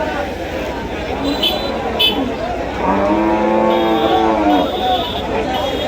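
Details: Cattle at the Hajatkhola cattle market; one long, low moo sounds midway through, droning for over a second under steady crowd chatter and vehicle noise.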